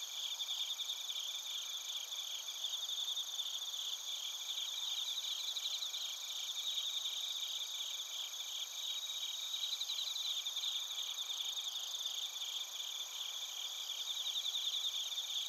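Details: Several crickets chirping together in Narita, Chiba Prefecture, Japan, recorded on a TASCAM Portacapture X8; high, rapidly pulsed trills weave through a constant background hum of insect song, swelling slightly now and then.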